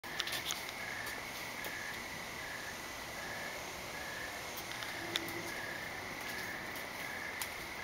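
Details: Crickets at night under a dark, cloudy sky: a steady train of short, evenly spaced chirps, roughly two per second, over a soft background hiss, with a few faint clicks and taps.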